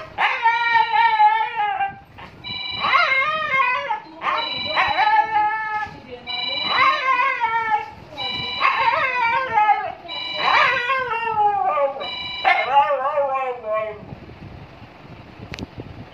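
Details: Siberian Husky at home howling while the phone rings: a run of short, bending, yodel-like howls roughly every second or two, interleaved with steady electronic ring tones, ending with quieter background noise.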